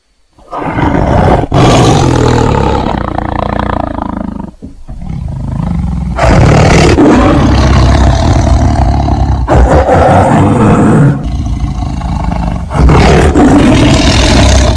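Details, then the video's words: Tiger roaring: a series of long, deep, raspy roars in several drawn-out bursts with short breaks between them, low and rumbling throughout, with no other clear sounds. "Suara Harimau"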